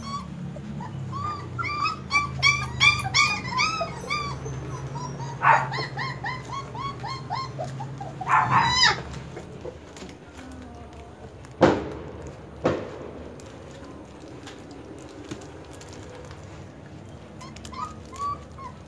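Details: German Shepherd puppies whining in short high, wavering cries during the first seconds, then fading into a low steady hum with a few sharp clicks and knocks, and one last brief whine near the end.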